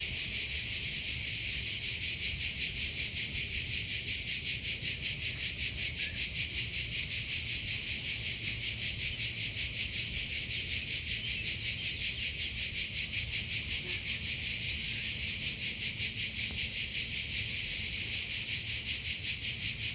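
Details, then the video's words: Cricket chirping in a natural outdoor setting: a dense, high, shrill trill pulsing steadily about two to three times per second, continuous for the whole stretch, with no other clear sounds. "Sound of Cricket"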